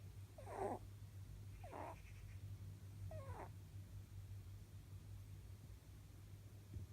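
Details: Elderly pet rabbit, nearly eleven years old, dozing in a power nap and giving three faint, raspy snores about a second apart before falling quiet, with a constant low hum throughout.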